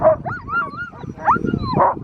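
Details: In Kirkenes, Norway, in snowy winter at about minus five degrees, excited sled huskies, part of a kennel of about 180, give sharp yips and wavering, whining cries over a rough rumble of movement, eager to run.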